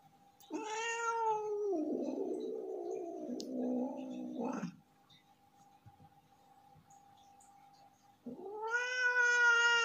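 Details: Angry male domestic cat, not in the mood: a loud harmonic yowl held about a second, sliding into a low rumbling growl for three seconds, then quiet before another rising, drawn-out yowl; indoors, steady faint hum behind.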